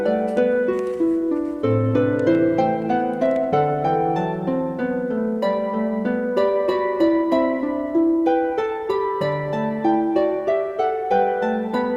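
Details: Bright plucked harp music plays continuously, with quick repeated melodic notes and no other clear sounds.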